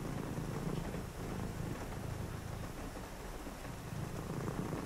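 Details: A cat purrs steadily in a low, rumbling, rapidly pulsing drone on a rainy night, with rain hissing softly behind.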